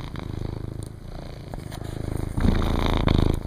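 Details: Zeus, an 18-pound ginger tomcat, purring indoors: a steady rapid low rumble with a regular pulsing beat, growing louder near the end.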